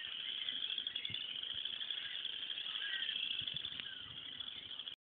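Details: Morning pond frogs calling loudly together; a shrill, steady, rattling trill of many overlapping callers runs without pause, with a few faint low knocks beneath before it cuts off abruptly.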